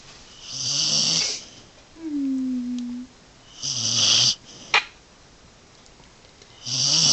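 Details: Sleeping dog named Scout snores through a winter storm, harsh airy rasps with a low growly base recurring every few seconds, and a short whining, falling squeak between breaths plus a faint click.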